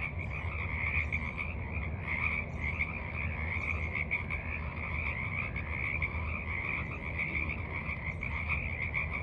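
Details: Forest pond frogs calling at evening, 28 March 2023: an unbroken, dense chorus of buzzy, pulsing croaks forms a steady wall of sound, louder and fuller than elsewhere, over a low rumbling background.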